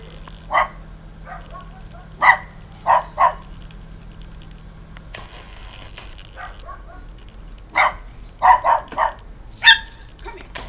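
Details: Stray Doberman Pinscher puppy, frightened by a husky, filmed on 20 September 2011 at 6:57 PM; short sharp barks and yips come singly or in quick clusters of two or three, separated by quiet gaps with faint background rustle.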